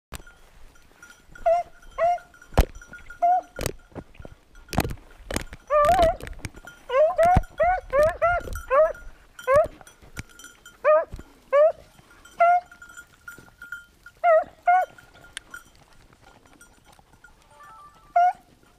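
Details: Beagle hunting on 19 October 2022 after a lost hare: short, arched yelping bays repeated in irregular bursts, some quickly doubled, with a steady bell-like ringing tone and sharp clicks behind them.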